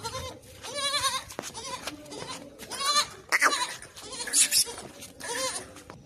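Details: Beetal goats with kids, kept for milk and sale, in Hasilpur, Bahawalpur district, Pakistan; several wavering, nasal bleats with strong harmonics recur roughly every second or two, mixed with people talking in the background.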